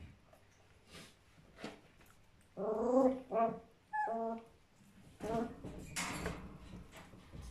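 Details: A playful, mischievous litter of Border Collie puppies indoors; a quiet start gives way to a cluster of high, harmonic whines and yelps in short bursts near the middle, then scuffling noise and a brief voice.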